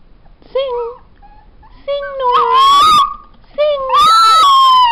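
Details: A black-and-tan female New Guinea singing dog howls in clear, tuneful tones that slide and waver in pitch.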